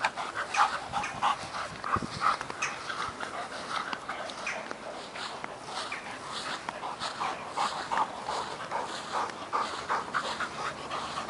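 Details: Working Mastiff pup Nobi, ten months old, and bull terrier Tasha, eight years, chase each other for a stick; quick rhythmic panting breaths, roughly three per second, with scuffling and rustling in the background.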